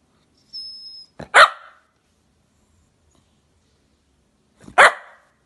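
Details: Jack Russell Terrier barking, two sharp single barks about three and a half seconds apart, the first preceded by a brief thin whine and a soft click, otherwise quiet.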